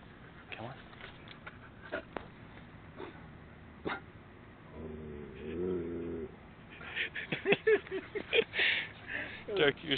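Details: German Shepherd growling at the Danger 79er statue on the Texas A&M campus; a low, harmonic rumbling growl swells for about a second and a half midway, with a person's coaxing speech and other noises before and after.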